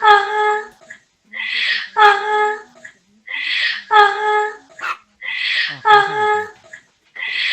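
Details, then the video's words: Indoors, a dog barks repeatedly, every call a raspy burst sliding into a sustained ringing note, around four cycles in quick succession with little else heard besides faint room noise. "Dog barking sound"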